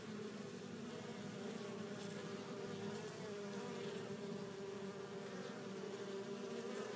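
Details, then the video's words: Swarm-like drone of honey bees arriving home at the hive with pollen, a thick unbroken buzzing at a low steady pitch, occasional faint taps as individual bees touch down. "Bees Returning With Pollen"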